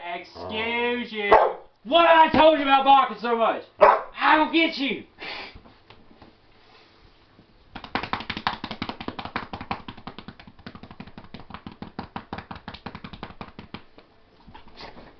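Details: Naga, a Shepherd/Husky mix, talks back with several long, warbling howl-like yowls that bend up and down; afterwards a fast, rattling clatter runs steadily to the end.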